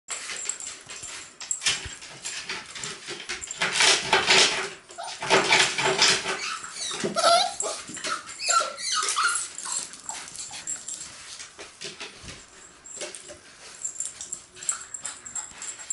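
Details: Cocker Spaniel puppies, 55 days old, indoors: thin high whines and squeaky whimpers rise and fall midway, among constant rustling, shuffling and handling noises.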